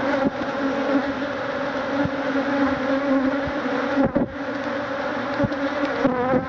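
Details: Africanized honey bees, thousands strong, swarm and sting a man trying to remove their hive; an unbroken, even buzzing drone with scattered clicks and a brief knock near the middle.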